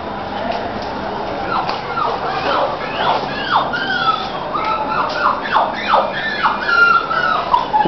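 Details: Crossbred Labrador and sheepdog puppies from a litter whimpering: repeated falling, tonal whines coming in irregular bursts, some longer and wavering, with soft background rustle throughout.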